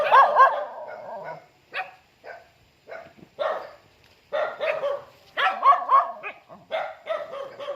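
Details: Dog greeting its owner as they come home: bursts of excited barking and whining yips with tonal squeals, in clusters separated by short pauses.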